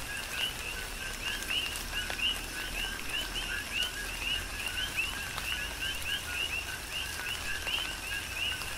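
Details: Chorus of coqui frogs singing through tropical rain on Hawaii's Big Island, overlapping two-part co-kee notes stepping up in pitch, sounding continuously, with dripping raindrops and a hiss of rainfall beneath.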